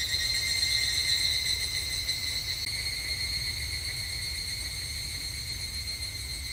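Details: Japanese summer temple grounds where evening cicadas (higurashi) sing: a high, pulsing metallic ring, loudest at the start, fading gradually, with a faint click near the middle.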